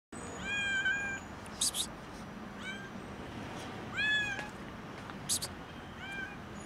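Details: Skinny, hungry kitten meowing loudly from hunger: four drawn-out, arching meows with rich overtones, spaced unevenly over a steady hiss of outdoor background noise and a few sharp clicks.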